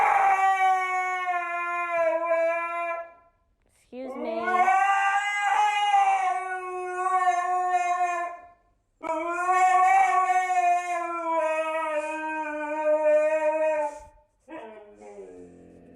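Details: Talkative pet dog arguing with its people at home: three long, drawn-out, wavering howls of several seconds each, separated by brief pauses, the last cut short, with faint hiss in the background.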